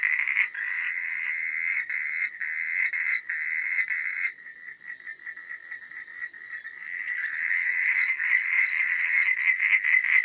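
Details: Frogs calling at night, a dense chorus of rapid rasping pulses centred in the mid-high range, loud for four seconds, then thinning before building back up, with faint high insect-like whine throughout.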